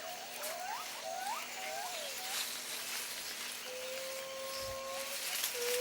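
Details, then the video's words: Jarunee, a singing ape, calls to announce territory: a series of quick rising whooped notes repeated about every half second, then long steady whistled tones, over a soft hiss of forest background. "Jarunee the Singing Ape"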